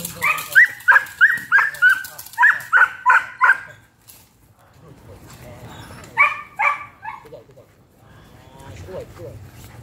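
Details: Hunter, a 5-month-old Belgian Malinois, barks during bite work training: a quick run of sharp, evenly spaced barks for nearly four seconds, a pause, then another short burst, with a person talking in the gaps.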